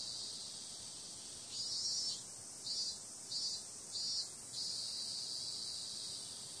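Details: Summer-night cicada chorus: a constant shrill, high-pitched buzz overlaid by four or five louder throbbing pulses in the middle, each lasting about half a second, then a smooth continuous drone.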